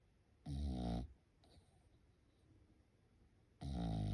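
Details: French Bulldog sleeping at home during Golden Week, giving two loud, low rumbling snores with buzzy overtones, one near the start and one at the end, separated by quiet breathing indoors.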